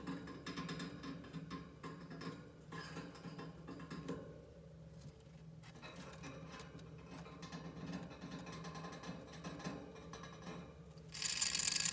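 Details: Only soft rustling, mechanical patter and a burst of hiss at the end; no animal voice stands out.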